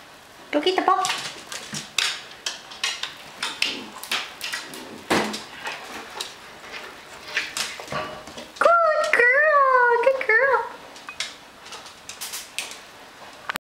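A Miniature Schnauzer gives short, wavering howls that rise and fall, pleading for help reaching her toys.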